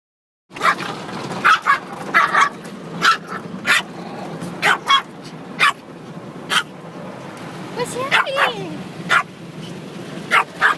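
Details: Puppy barking while being given a wash, sharp yappy barks repeated irregularly about every half second to second, with background splashing noise and a person's voice near the end.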